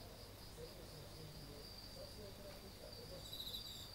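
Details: Insects trill steadily on an autumn-feeling night, 30 August 2018, outside a front entrance: a high continuous ringing over a low background rumble.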